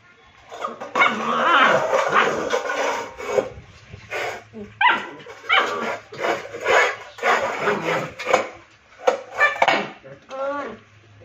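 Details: A Rottweiler puppy, upset after its plate turned over during play and would not right itself, lets out loud, rough whining cries and yaps. They rise and fall in closely spaced bursts throughout.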